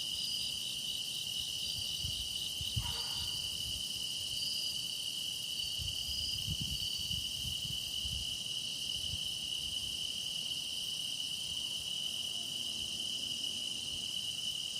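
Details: Grass insects keep up an unbroken high, ringing chorus with a buzzy overlay, while a brief soft knock near the third second and some low rustling sit beneath it.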